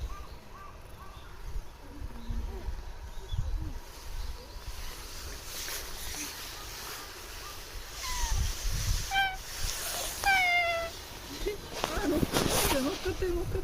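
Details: Cat living at a shrine, approached and spoken to by a visitor; answers with two short, falling, harmonic meows about two-thirds through, amid rustling, handling noises and low outdoor rumble.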